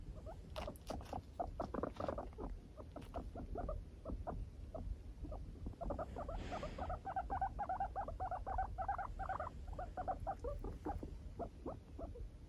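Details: Pet guinea pig, four years old, avoiding being touched by its owner: rapid runs of short clicking chutters, densest in the middle, steady indoor background.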